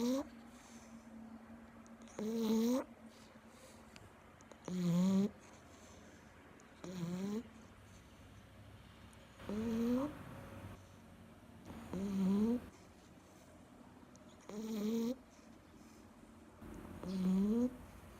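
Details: Labrador Retriever asleep on its owner's lap, snoring steadily: eight short nasal snores, each rising slightly in pitch, come roughly every two and a half seconds, with soft low hiss between them.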